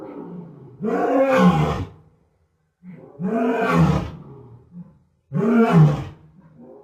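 A West African lion gives three deep, rasping roars, each about a second long, separated by brief pauses.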